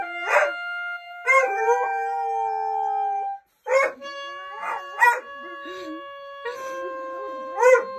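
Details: A female German Shorthaired Pointer howls while "practicing" with her boy during a school closure, in drawn-out, wavering howls that rise, hold and slowly fall, alongside a steady, even-pitched tone.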